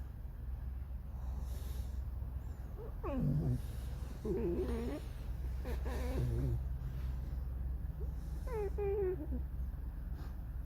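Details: Alice, a pet red fox, in a creaky, mournful mood while Max hunts frogs nearby: several drawn-out, wavering whines with harmonic overtones, some sliding downward, spaced over ten seconds against a low steady background hum.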